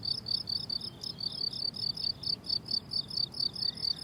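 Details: Meadow crickets in summer giving clear high-pitched chirps in a steady pulsing rhythm, several per second, over a soft low-frequency hiss of background ambience.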